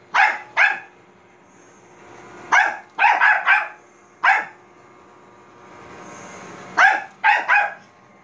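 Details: Bichon Frise dog barking at a robot vacuum cleaner indoors: sharp barks in quick clusters of two or three, with pauses of about two seconds between bursts and a faint whirring machine hum in the gaps.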